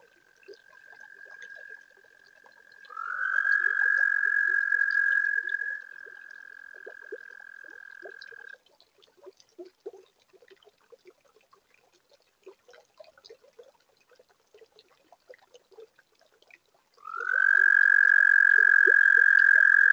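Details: Toads singing at a garden pond on a warm spring night: long, steady, high, even trills, each lasting several seconds, with one starting softly, a louder one, a gap of faint clicks, then another trill rising in.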